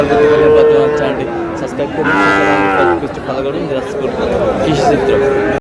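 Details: Mymensingh, Bangladesh, 18 March 2026: a Sahiwal bull calf bought by a farmer gives a single low, bellowing moo lasting about a second, rich in harmonics, amid a continuous murmur of people talking.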